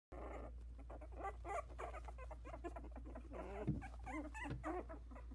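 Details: Four 16-day-old Havanese puppies in a whelping box, just starting to walk, with eyes barely open. Their squeaky, wavering whimpers rise and fall in bending tones, several overlapping, over a steady low hum.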